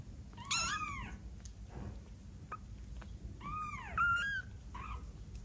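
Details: A 12-day-old kitten mewing: two sharp high cries with wavering arched pitch, then shorter squeaks, over steady background hiss and occasional soft taps.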